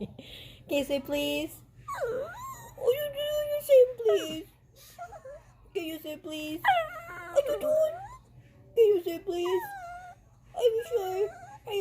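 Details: Pet dog whining to be let up onto the couch, a run of high, bending, wail-like cries in bursts of one to two seconds, some rising and some falling, repeated through the stretch.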